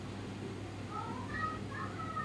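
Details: A pet cat said to be sulking gives soft, faint meows: thin, wavering tones that rise and fall, repeated about three times over two seconds above a low, steady background hum.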